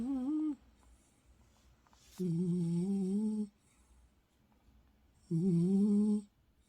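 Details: Eunsil, an adopted rescue dog, snores while sleeping indoors; her snoring is said to sound like singing a tune she heard on a walk. Three humming, tonal snores about a second long come roughly every three seconds in a quiet room.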